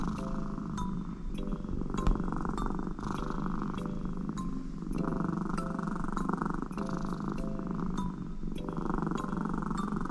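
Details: An American Shorthair cat named Connie purrs on her working owner's lap, asking for affection, the purr loud like snoring. A steady low rumble runs throughout under faint high tonal notes and scattered clicks.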